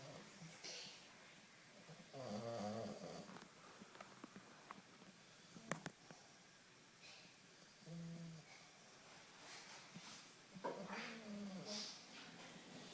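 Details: An English Bulldog puppy snores in its sleep in slow, rasping bursts, each breath a rough, throaty rumble.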